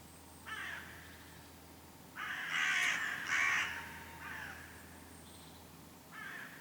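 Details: Red squirrel calling after a goshawk attack it survived, at Lake Kallavesi near Kuopio, Finland, on 23 August 2015. It gives harsh, raspy chattering bursts: a short one, then two louder, longer grating bursts in the middle, and a brief one at the end.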